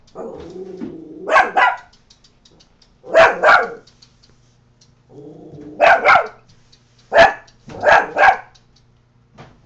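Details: Coton de Tulear named Scooter barking at the neighbour; low growling rumbles lead into paired sharp barks, the pattern repeating in clusters of two or three every couple of seconds.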